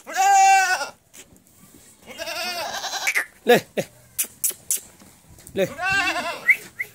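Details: Barbari goats at Etawah, Uttar Pradesh: a loud wavering bleat opens, then a second quavering bleat and a third shaky bleat near the end, separated by sharp clicks, knocks and short bursts of noise.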